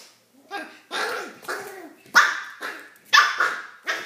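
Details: Odie, a pet dog, barking at his new red toy to show it who's boss; loud, rough barks come in quick bursts about once a second, some with a rising whine-like onset.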